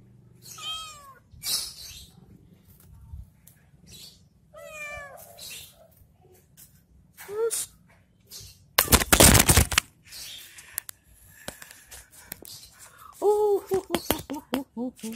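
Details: Cat playing with a stick, giving several short rising-falling meows spread through the scene, with a loud burst of thumping noise in the middle and more clustered mews near the end.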